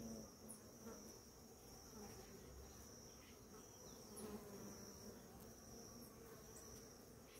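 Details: In the morning, many bees on a flowering ora-pro-nobis plant hum together in a steady, low, droning buzz, with a thin high whine above.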